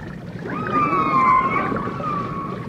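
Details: Dolphin sounds from a 1989 stereo recording of dolphins and orcas: one long, steady, slightly wavering tonal call with a bright overtone, held for about two seconds above low underwater rumble.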